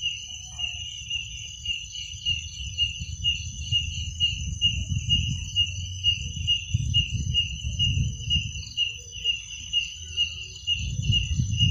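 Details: Crickets at night: a steady, high, pulsed chirping trill runs without a break through the whole recording, with a faint higher overtone band and a low, uneven rumble of background noise underneath.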